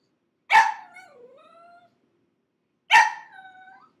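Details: Crated pug puppy, six months old, protesting after five minutes inside: two loud, harsh yelps, each drawn out into a long, wavering whine.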